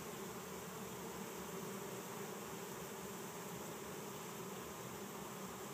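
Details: A captured bee swarm of 6000-8000 insects in Chico, California, 2013, fans wings and marches into a hive set beside it. A dense, unbroken low drone fills the whole clip.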